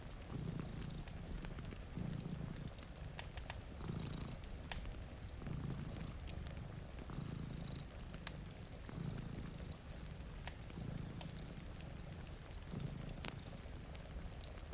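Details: Two cats asleep in front of a rainy window purr steadily, with deep rumbling breaths repeating roughly every one and a half seconds, while a fireplace crackles and rain falls softly.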